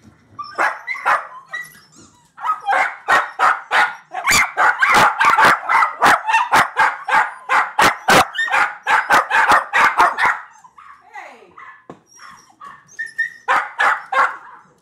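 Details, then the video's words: Puppies going crazy at the sight of themselves on a screen, barking in fast, continuous bursts of sharp, repeated barks for about ten seconds, a short pause, then more barking; a person urges them on. "Dogs going crazy when they see themselves on video"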